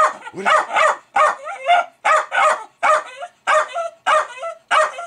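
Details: Jack Russell Terrier Milo, a household pet, barking frantically at fermenting beer releasing gas; steady run of paired, ringing barks about every half second, with whiny drawn-out endings and no other sounds.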